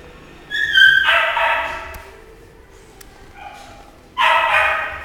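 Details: Shih Tzu dog giving two sharp, high barks about three seconds apart, each preceded by a short whining yip.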